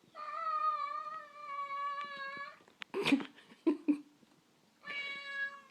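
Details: Indoor cat meowing to go outside: a long steady harmonic meow of about two and a half seconds, then door or handling knocks, then a second meow starting near the end.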